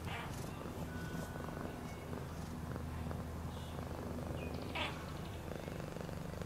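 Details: A pet cat's purr, deep and evenly vibrating, runs unbroken, while light rubbing sounds and a couple of faint high squeaks drift over it.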